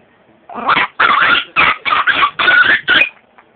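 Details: Chihuahua barking in a rapid run of about six sharp, high yapping barks over under three seconds, each short and bright, with quiet gaps between them.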